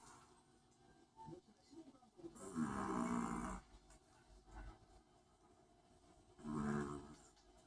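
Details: Long-haired Chihuahua snoring indoors: two raspy, breathy snores, a long rough one about a second in length followed a few seconds later by a shorter one, over a faint room hum.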